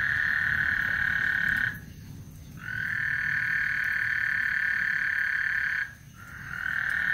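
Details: Lake Houston frogs calling before a storm: a bright, continuous, high-pitched trill that stops for under a second, then runs on for about three seconds before another brief pause.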